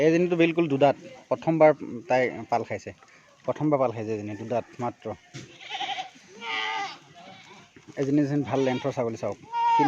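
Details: Farmed Assam Hill goats from Assam, India, giving tremulous, vibrato-laden bleats in rapid overlapping runs. There is a quieter stretch mid-way before the loud chorus of several goats resumes.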